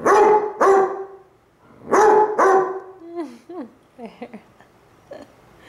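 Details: Brown and black Basset Hounds howling at each other, one lazily lying on its side: four short deep bays in two pairs, then a run of thin sliding whines and soft yelps trailing off.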